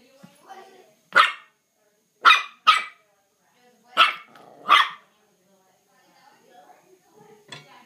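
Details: A Mal-Shi puppy barks while attacking a fireplace broom at home, five short, bright, explosive barks spaced about a second apart, with faint soft rustling and a quiet final yap.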